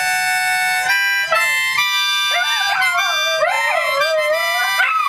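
Dachshunds howl in long, wavering, rising and falling tones over steady harmonica notes.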